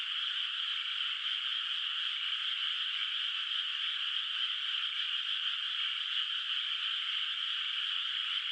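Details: Far-off frogs calling through a moonlit night over a rural rice paddy not yet planted; a seamless, shimmering chorus of overlapping trills continues evenly from start to end.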